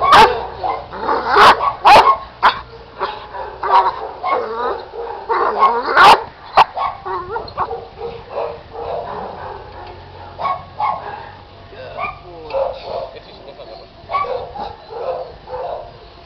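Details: An 8-month-old Giant Schnauzer puppy barks sharply, then trails off into softer yips and whimpering whines.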